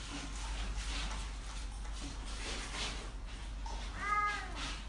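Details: Domestic cat giving one short, clear meow near the end, slightly rising then falling in tone, after several seconds of low steady hum and faint rustling background noise.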